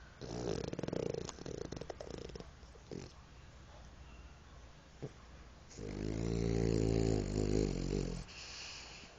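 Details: A French Bulldog named Pipoca snores: a shorter rough breath opens, then a quiet stretch with small snorts, then a long, strongly rumbling, buzzy snore near the end, followed by a softer hiss.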